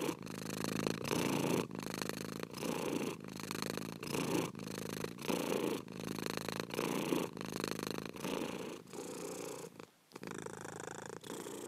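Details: Purring house cat recorded close: rhythmic rumbling phrases alternating in-breath and out-breath about every half second to second, with a brief pause near the end before the purr resumes.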